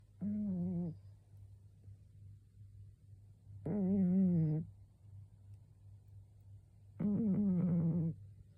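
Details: Karashi, a 12-year-old cat, snoring while asleep and possibly suffering from a cold: three harmonic, buzzy snores about a second long each, spaced roughly three seconds apart, over a steady low indoor hum.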